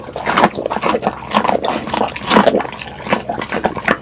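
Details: A pet pit bull eating at close range. Wet, crunchy chewing and smacking sounds repeat rapidly throughout, with bursts of louder crunches every half second or so.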